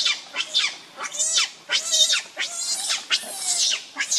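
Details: Hungry baby monkey Leo crying and begging its mother for milk: shrill, harsh screams, each sliding downward, repeated roughly every half second in a steady run.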